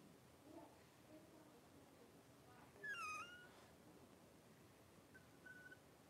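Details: Three-week-old Blenheim Cavalier King Charles Spaniel puppies at play in a home puppy pen; one clear wavering high squeal near the middle, then a faint short squeak, against soft room noise.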